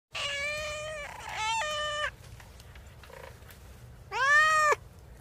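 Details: Domestic cat meowing: two drawn-out, fairly level meows in quick succession, then after a quiet pause a short, arched, rising-then-falling meow; faint low background hum.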